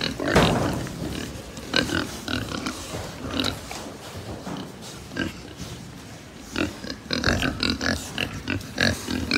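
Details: Herd of farm pigs in Japan, low grunting under sharp clicks and metallic knocks, a louder burst at the start, then quieter rumbling before rapid clattering returns near the end.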